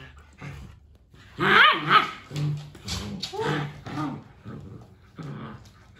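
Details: Chatty pet German Shepherd giving rough, throaty barks and grumbling vocal bursts in an irregular sequence, with a noisy low rumble underneath and a human voice faintly present.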